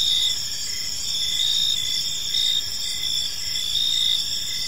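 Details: Crickets chirping on an evening in a peaceful park, a dense chorus of high, steady pulsed trills layered over one another, with short repeated chirps and a soft low rumble of background noise.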